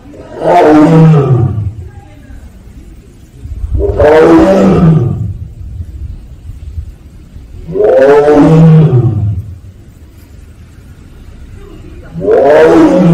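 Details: Siberian (Korean) tiger kept at Seoul Grand Park zoo calling 'a-ung' again and again: four loud, rasping roars, each sliding downward and lasting about a second and a half, spaced roughly four seconds apart with quiet gaps.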